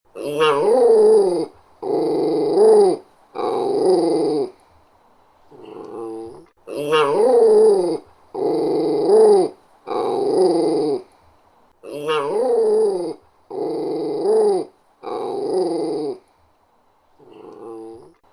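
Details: West Highland White Terrier, a small dog, growling indoors: sets of three rough, harmonic growls about a second each, then a fainter shorter one, the cycle repeating about every five seconds, three times over, with near-silent gaps between.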